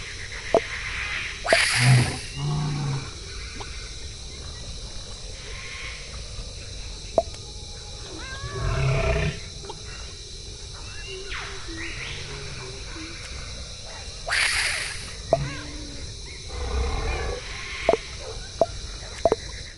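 A koala gives deep, rasping bellows, harsh snoring-like bursts separated by quieter grunting passages.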